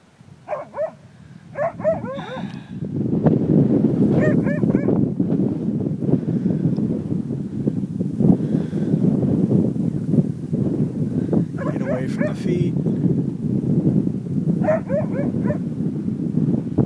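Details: Siberian Husky named Cisco, outdoors facing a bison: short, harmonic yelping barks in scattered bursts, near the start, around two and four seconds, then again near twelve and fifteen seconds, over a steady rumble of wind.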